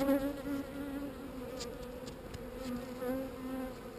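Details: Calm honey bees making a continuous, even buzzing drone. The low hum stays at a steady pitch with a clear overtone, swelling and fading only slightly throughout, with no other sounds intruding.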